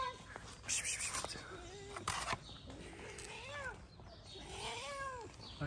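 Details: Street cat in Morocco, a big-nosed cat harassed by another cat named Ginger, gives several short rising-falling meows, with a man speaking nearby and outdoor background noise.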